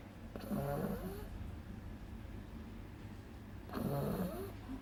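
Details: Sleeping beagle puppy Agatha, two months old, snoring strongly. Two rough, rattling in-breaths, each nearly a second long and about three seconds apart, with steady low room hum between them.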